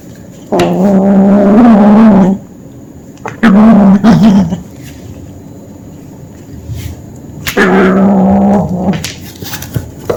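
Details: Young kitten at hunting play gives three deep, rumbling growls, each one to two seconds long with a slightly wavering pitch, separated by quiet gaps with soft thumps and scuffling.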